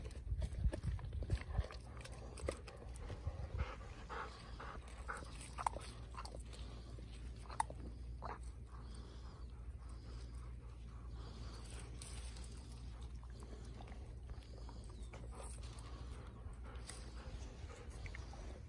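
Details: Golden Retriever keeping watch as passion fruit flowers are hand-pollinated at Kirihata; soft, rapid breathy panting, roughly four breaths a second, irregular, over low rumble and light rustling.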